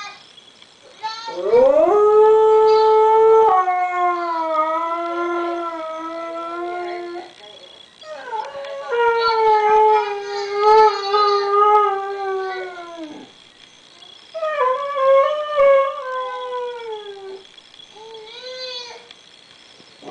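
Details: Pet dog named Diva howling after hearing her missing grandson on the computer; loud, sustained tonal howls rising then holding steady, three long drawn-out bouts separated by brief pauses, with a faint steady electronic whine behind.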